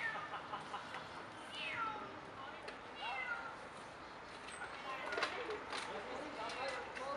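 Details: Cat stuck in a tree during a rescue in sector 4, Bucharest, Romania: a few drawn-out, arching meows, rising then falling, repeated at intervals beneath steady Romanian speech from the rescuers coaxing it to hold on.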